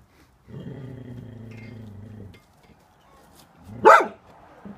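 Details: Frightened Cocker Spaniel reacting to neighbours gardening: a low, steady growl of nearly two seconds, a short quiet spell, then one loud, abrupt bark.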